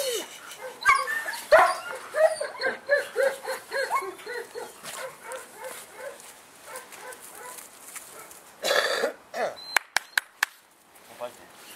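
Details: Male German Shepherd puppy offered for sale in Saratov, giving a rapid series of short, high, yelping whimpers that fade into quieter whines, with people talking and a few sharp clicks near the end.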